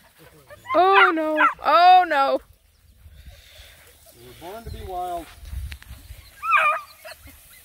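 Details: Black and Tan Coonhound puppies, nine of them, on a hike around a pond: loud harmonic yelping howls with wavering pitch, two long bursts then fainter cries, with a person talking in the background.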